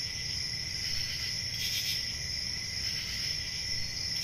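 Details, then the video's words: Crickets chirping on a peaceful summer night in the countryside, an even high trill with a lower continuous band and a faint burst of brighter chirps midway, over soft low rumble. "10 Hours Relaxing Cricket Sounds For Sleep | Ambient Summer Night"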